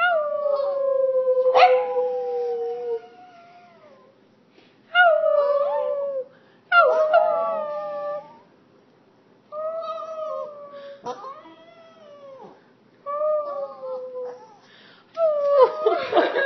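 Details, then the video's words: A small Boston terrier "sings," giving a series of drawn-out, wavering howls, each sliding down in pitch. "Boston terrier singing"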